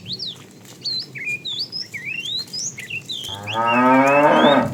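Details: A herd of tame cows roams far looking for food; after several seconds of busy bird chirping, one cow lets out a loud, rising, drawn-out moo that swells toward the end.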